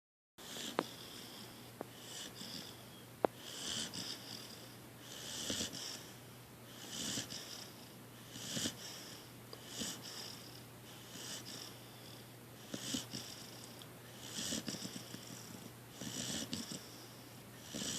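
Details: Debo, a dog asleep indoors, snoring: soft, breathy, wheezy snores recur about every one and a half seconds, roughly a dozen in a row, over a faint steady low hum.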